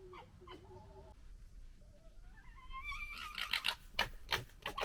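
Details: Fox litter of three in a squabble: short whines, then a long rising whine that climbs steeply, followed by harsh, rapid, screechy bursts of gekkering chatter.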